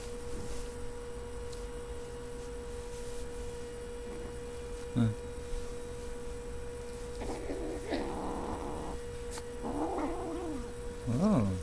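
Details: Siamese kitten throwing a tantrum over treats, ready to fight anyone who tries to separate it from them; after quiet, several low wavering, harmonic yowls and growls come in the last four seconds over a steady electrical hum.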